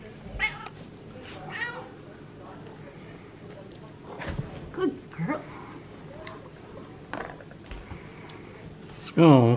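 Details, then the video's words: A female pet cat demanding tuna fish: scattered soft chirps and brief meows over several seconds, ending in one loud, drawn-out wavering meow, with human speech and a knock in the background. "Cat Meows and Chirps for Tuna Fish"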